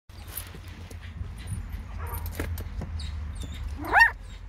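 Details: A 21-day-old Border Collie mix puppy, from a litter just starting to walk, gives one brief, high, rising yelp near the end over a low rumbling background.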